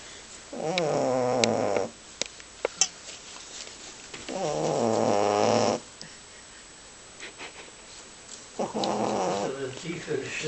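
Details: Sleeping male boxer snoring rather loud in a small room, producing long buzzy snores lasting one to one and a half seconds at steady intervals of about four seconds, with a few soft clicks and faint voice-like sounds between them.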